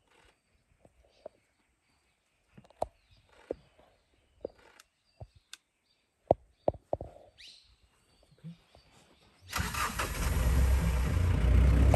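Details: Scattered clicks and knocks in a quiet outdoor setting, then a vehicle engine starts and roars.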